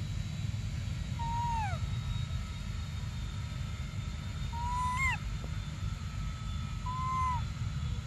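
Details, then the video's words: Crying for milk, baby monkey Briar utters three drawn-out plaintive cries, each holding steady then sliding downward in pitch, with a low continuous rumble underneath. "Desperate Baby Briar Cries For Milk"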